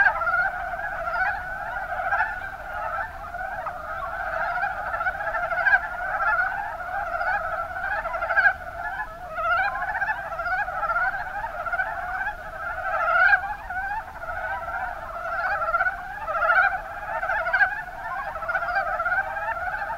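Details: Chorus of Mountain Brown Frogs, Rana ornativentris, recorded in Kumamoto's Kuma Basin, Japan; numerous callers give rapid rattling, stuttered croaks that overlap into a continuous, steady wall of sound.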